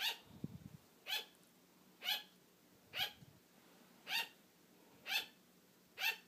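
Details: Female sugar glider kept as a pet, barking for attention when her owner starts falling asleep; clipped, harmonic-rich yaps spaced roughly one second apart, seven in sequence, a soft low thump near the start.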